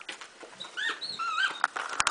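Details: A bulldog named Duke picking out a toy whines in quick high arched notes that rise and fall, with a few sharp clicks and rustles underneath.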